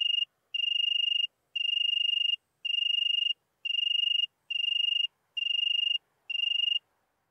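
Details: ['Oecanthus pellucens recorded in Venice, Italy, on 2 September 2021, giving a string of eight clean, even chirps, each a pure trilled tone lasting roughly two-thirds of a second, separated by brief gaps.']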